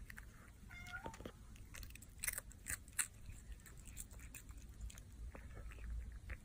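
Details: Pet cat eating indoors: quiet irregular crunching and chewing ticks, a few sharper bite clicks around the middle, a short thin tonal squeak early on, low background hum.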